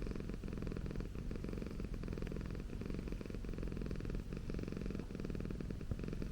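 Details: Close-miked purr of Okayu, a pet Persian cat, in an ASMR recording. The low, throbbing vibration runs almost without pause, with slight breath-linked swells.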